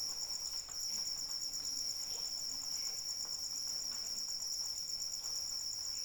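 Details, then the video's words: Gentle rain and crickets for sleeping: a fast, buzzing high trill pulses without pause, steady in pitch and loudness, over soft rain patter and scattered faint drops. "Suara Hujan dan Jangkrik Pengantar Tidur"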